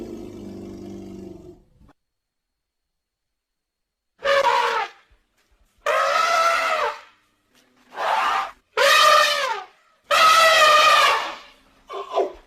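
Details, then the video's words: A low, humming rumble opens the sequence. After a pause, an elephant gives five shrill, brassy trumpet blasts, each about a second long and sliding in pitch, then a brief final squeal. "Elephant Sounds and elephant calls"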